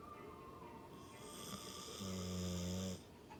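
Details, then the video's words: Deeply sleeping American Pit Bull Terrier Hachibei gives a loud, steady, buzzing snore lasting about a second in the latter half, its low hum clearly layered, after a quieter stretch of breathing. "犬のいびき4 ピットブルのハチベエさんのいびき、爆睡中！"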